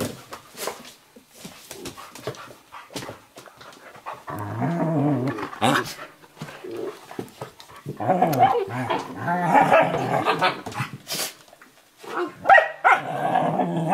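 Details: An 11-week-old Eurohound puppy and a 4.5-year-old Nova Scotia Duck Tolling Retriever wrestle playfully across a lap on a kitchen floor, fierce-sounding but friendly; bouts of throaty growling with panting and scuffling between them, a little human speech.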